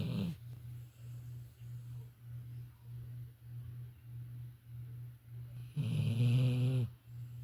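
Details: A female Labrador Retriever sleeping indoors, snoring with a soft, low rumbling drone that swells and fades in a steady rhythm, then one louder, rougher snort near the end.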